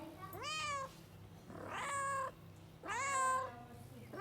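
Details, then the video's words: A cat gives three long, strained meows in quick succession, each starting high, bending and sliding downward, with a faint constant low drone underneath. "weird cat noises to attract cats"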